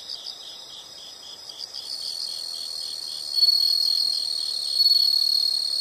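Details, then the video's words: Nature sound of insects for relaxation or sleep: high rapid chirps merging into steadier, louder shrill trilling that swells twice, with no other sounds clear. "the sound of insects"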